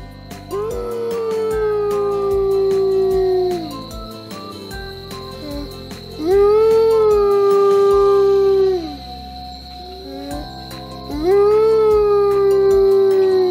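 An Arctic wolf gives three long, smooth howls that swoop up and then sink slowly, over soft background music.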